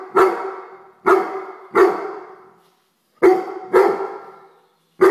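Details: Excited Weimaraner barking at a house fly: six punchy, clipped barks. Three come in quick succession, then a short pause, then two more and the start of another.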